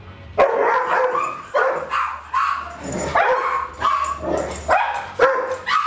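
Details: Darwin, Vader, Bars and Boudicca playing, July 8 2010; six or seven distinct growling barks and yelps land roughly every second, each with a harmonic whine, over a faint low hum.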